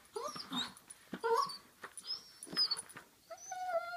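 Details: A basenji mix dog gives short, wavering whines and yodel-like cries while playing with a WobbleWag Giggle ball, whose electronic giggles sound along with him.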